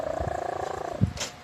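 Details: Leah, a sleeping pet cat, snores with a fast, rattling, pulsed hum lasting about a second, followed by a soft thump and a brief hiss.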